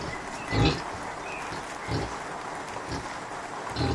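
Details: Low, muffled grunts repeat roughly once a second from Kunekune sow Bella, who is with her five-day-old piglets. She has been unwell but feeding them well and is a bit grumpy.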